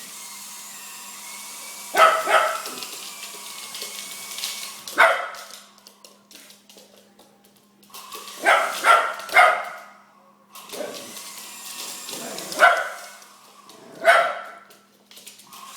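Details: A dog barking at a helicopter: sharp barks in short bursts near two, five, eight to nine and twelve to fourteen seconds, with a steady hum and a faint whine between them.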